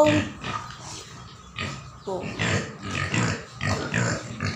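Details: Small native pigs kept as livestock give short, rough, broadband grunts in uneven bursts, several overlapping, while a person's voice repeatedly calls out over them.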